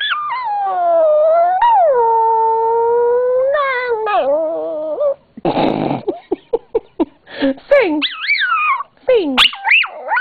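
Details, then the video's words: Yorkshire terrier-papillon mix dog singing for its owner: two long, steady, drawn-out howls, then a rapid run of short yips and sliding wavering cries, with a brief noisy rustle and the owner's voice mixed in. "My Dog Lola is one singing BITCH! Woof!"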